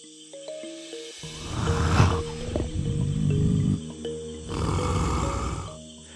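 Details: Jaguar of the Amazon rainforest, described as its true ghost; deep rumbling roars in two long rasping bursts, the first near a second long and the second longer, set against swelling orchestral music.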